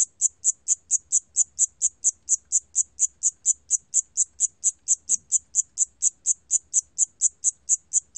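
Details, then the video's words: Siamese cricket from Korea's National Institute of Biological Resources, 2020: high, clean chirps repeated about twice a second in a steady, even rhythm, with only faint low rumble beneath. "샴귀뚜라미, 여러번 듣기, 곤충소리"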